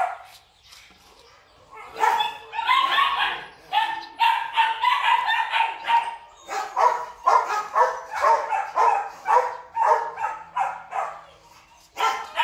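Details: A female breeding Rottweiler at a kennel gives a string of hoarse, fairly deep barks, roughly twice a second with short gaps, uneven in rhythm, a few lighter yips mixing in near the end.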